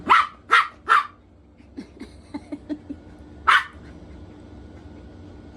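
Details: Poodle barking during a game of hide and seek: three sharp barks in quick succession, a pause with soft indoor sounds, then one more loud bark.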